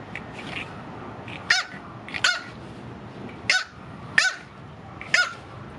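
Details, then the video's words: Female blue French Bulldog puppy, eight weeks old, giving five short high yappy barks spaced roughly a second apart, with faint softer whines and noises between them. "8 week old Blue Frenchie puppy barking"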